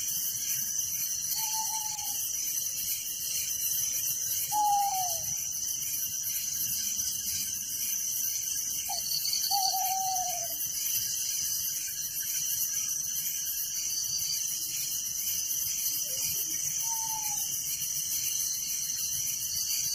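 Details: Crickets trill steadily through the night in a village, a high pulsed chorus without pause. Several short slurred whistles from another caller break in every few seconds.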